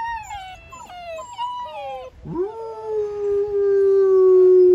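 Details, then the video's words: Ten black German Shepherd puppies howling together: several high, wavering tonal howls with overlapping voices, dipping and sliding in the first half, then a long steady sustained howl that holds and slowly falls to the end. "Ten HOWLING baby black German Shepherd Puppies!!!"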